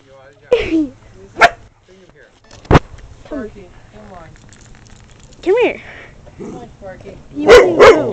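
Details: Talking husky/wolf mix named Emily, a female runt who had seven pups, mixing sharp short yelps and barks with drawn-out arching yowls that rise and fall, while a voice calls to the dogs in the background.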